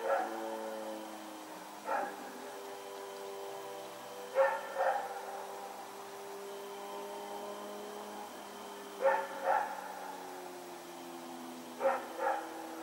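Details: Rex, a dog, running around at night on September 21, 2018, gives sharp barks, mostly in quick pairs, every two to five seconds over a steady low tonal hum.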